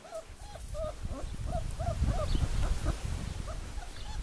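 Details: Four-week-old puppies, litter 'Formule 1' / Callie, at Le Domaine des Pertins, give a steady run of short, arched, squeaky whimpers, roughly four per second, over low rumbling and shuffling noise.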